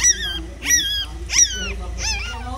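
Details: Mother dog caring for her one-day-old puppies: four short, piercing whimpers, each sliding up and then falling away, spaced roughly half a second apart against a low steady hum.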